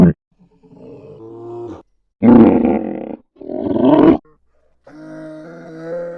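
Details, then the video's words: Polar bear vocalizing: a low wavering moan, two loud rasping roars separated by a short silence, then a quieter steady tonal groan to finish. "FUNNY POLAR BEAR NATURAL SOUNDS"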